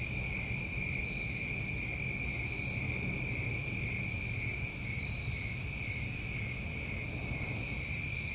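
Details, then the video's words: Summer night crickets in New England keep up a continuous shrill, even trill in stacked high bands. Two short sizzling bursts rise above it about four seconds apart, with a soft low background hum. "Tinnitus Masking With Crickets"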